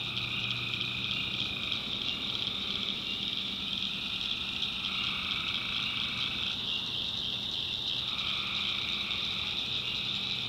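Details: Many tree frogs in a North Carolina backwoods swamp at night, their high continuous trilling chorus steady, with a lower band of calls that cuts out for a moment midway and then returns.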